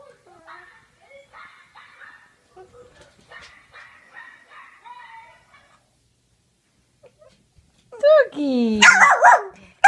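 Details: Pet dog Peanut reacting to other dogs on a laptop screen. Faint, soft sounds play for several seconds, then a loud, high, yelping bark and a harsh burst of barking close out the stretch.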